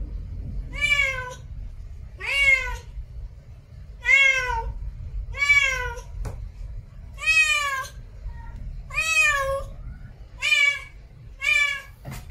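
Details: Meowing from a female cat in heat calling for a mate, eight insistent arched meows spaced roughly every one and a half seconds, each bending up then down, with faint low rumble beneath.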